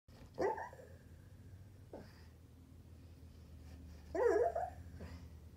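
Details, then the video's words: Pet dog barking in its sleep indoors: two soft, muffled woofs about four seconds apart, with a faint snuffle between them and quiet breathing in a small room. "barking in sleep"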